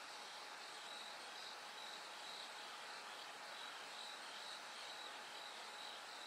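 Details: High pulsed ringing from a bell cricket in the dark before daybreak, soft short notes following one another without pause against an even background hiss.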